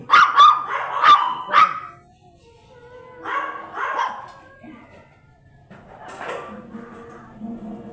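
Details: Quick burst of four high, sharp yaps from a blue Miniature Pinscher used for stud service in Manaoag, Pangasinan, then two softer barks and quieter voices.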